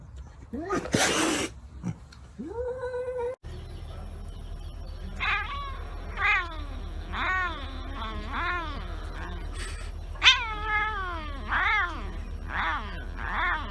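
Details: Domestic cat giving a short loud cry, then a run of rising-and-falling meowing wails repeated about every second over steady low background hum.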